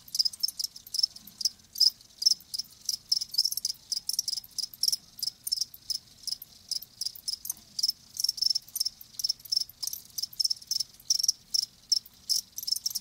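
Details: Live crickets chirping steadily: rapid, high, pulsed trills repeated in short bursts several times a second, forming a dense, continuous rhythmic chorus with nothing else clearly heard.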